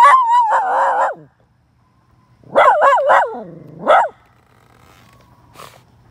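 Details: Miniature red poodle howling at other dogs: a wavering tonal howl of about a second, a pause, then a run of quick rising-falling yelping howls ending in a longer wail, with a faint click afterward.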